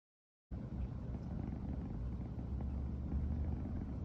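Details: Riri, a female brown tabby American Shorthair cat born 15 September 2020, purring nonstop in the morning after first sleeping together; a close, steady low rumble starts after half a second of silence and continues evenly.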